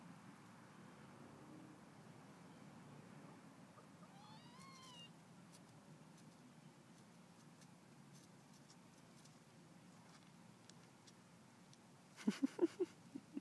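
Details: Domestic cats competing to eat: after a long quiet stretch, one brief rising-then-falling meow, later a quick run of sharp clattering knocks near the end.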